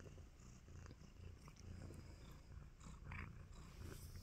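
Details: Content tabby kitten purring while giving love bites, a steady low rumbling purr running through the whole stretch with faint clicks and rustles above.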